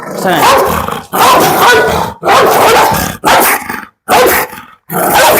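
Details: Pit bull barking in a run of long, harsh, rough bursts, each about a second, separated by brief silences, with some growly texture and a little human speech nearby.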